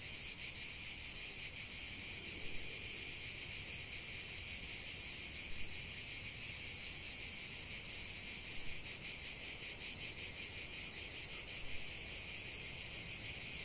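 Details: Cicada song out in nature: an unbroken high-pitched buzzing chorus with a faint rapid pulsing texture, steady from start to finish.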